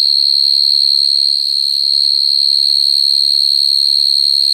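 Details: Male field cricket singing naturally at night to attract females, the call used for trapping crickets. A continuous shrill ringing trill, evenly pulsed and holding one high pitch with a faint overtone, briefly dipping in volume once.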